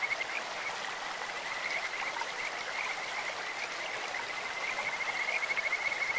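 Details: In a clear stream, a Kajika frog gives a sweet, insect-like call: a steady high trill running almost unbroken, with a louder pulsing stretch near the end, over a background of running water.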